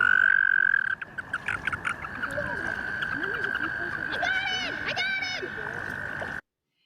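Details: American toads (Anaxyrus americanus) in Maryland in spring give a long, steady, high musical trill holding one pitch for several seconds, with two males competing for a larger female.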